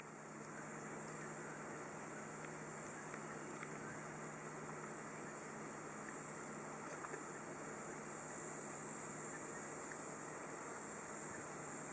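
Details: Only a steady engine-like rumble and hiss are heard, with no animal call.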